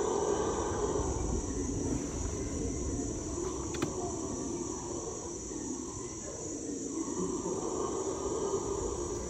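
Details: Distant howls of howler monkeys in the Ecuadorian Amazon, recorded from a canoe: a continuous low, rumbling roar with a brief rising moan near the end, set against a constant insect buzz.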